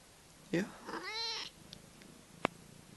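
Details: Norwegian Forest cat indoors giving a single rising-then-falling meow about half a second long, preceded by a short sound and followed by a sharp click.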